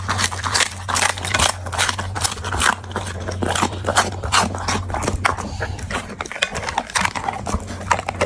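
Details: Eating dog producing dense, rapid crunching and chomping, bursts of crisp clicks several per second with brief pauses, accompanied by a constant low hum in the background.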